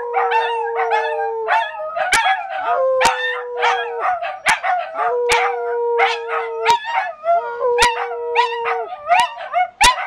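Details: Three dachshunds and one Scottish terrier howl together indoors in North Lexington, NY, in long, wavering tones broken by yips.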